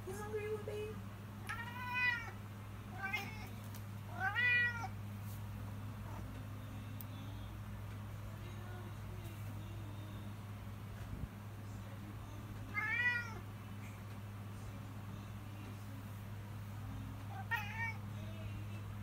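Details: Domestic cat crying and demanding food at feeding time indoors: about seven drawn-out, rising-then-falling meows in irregular bursts, several close together early on, then long pauses before two more, over a steady low hum.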